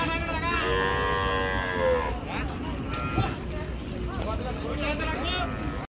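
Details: A long, level moo from a cow at a busy village cattle market during unloading from the river side, followed by chattering voices and general market hubbub.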